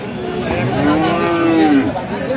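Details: Friesian or crossbred bull calf at Aftabganj cattle market, Dinajpur, Bangladesh, 13 December 2025: a single smooth, low, arching moo lasting about a second, over steady market murmur and distant voices.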